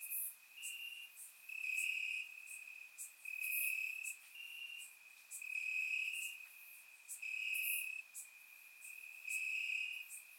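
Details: Night chorus of crickets in summer grass, Bulgaria: continuous shrill trilling with rhythmic louder pulses about every second, several callers overlapping, recorded with a surround microphone.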